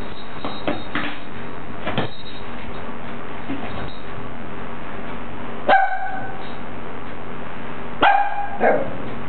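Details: Xio, a pet dog, barking at balloons: two sharp harmonic barks near the end, after several seconds of muffled low thumps and rustling.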